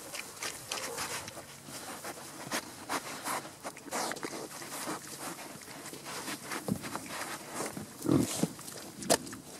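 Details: Wild boar in the Forest of Dean snuffle and grunt in short, rough bursts among rustling sounds.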